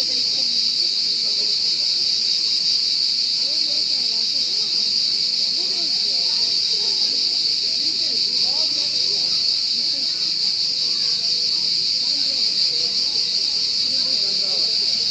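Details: Cricket sound: a sustained, steady high-pitched trill with no breaks for the whole stretch, accompanied by faint, muffled human voices underneath.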